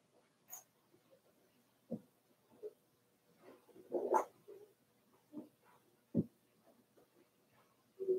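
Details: Four-week-old Cavalier King Charles Spaniel puppies from Daisy's litter in their puppy pen, giving short, irregular whimpers and squeaks with a few louder yelps scattered over several seconds.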